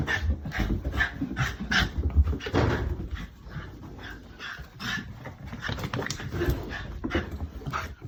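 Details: Female Shiba Inu named Haru, living in the countryside, greeting a returning older brother of the family with a joyful dance: eager whimpers and short yelps repeated in quick uneven bursts, with shuffling and movement noise.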